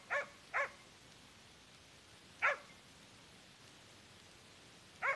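A hunting dog gives sharp, isolated barks while holding a wild boar at bay.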